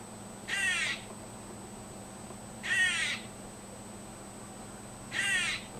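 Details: Squirrel in a yard making strange noises: three harsh, raspy, rippled bursts, each about half a second long, spaced roughly two and a half seconds apart over a steady background hum.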